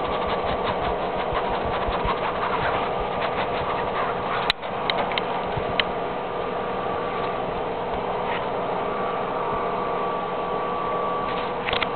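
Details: Continuous mechanical whirring like a sewing machine or idling engine, with a sharp click partway through and no animal sound.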